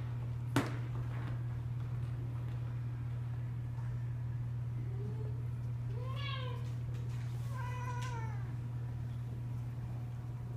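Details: Cats busy with new toys let out a soft short mew, then two louder meows that arch up and down in pitch, after an early sharp knock, with a constant low hum throughout.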